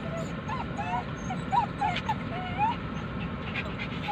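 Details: Poodle dogs crying while their owner is away: a run of short, high, whistled whimpers, some rising and some falling, several per second, over a steady low household hum with faint voices.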